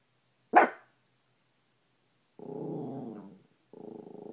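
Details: Maltipoo dog barking at his reflection in a bedroom mirror: one sharp bark, then a pause, then a sustained low rasping growl that breaks off and resumes.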